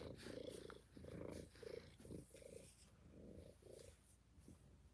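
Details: Kittens in a cuddle room purring, a loud, continuous, throbbing rumble broken into rapid repeated pulses, with no other clear sounds.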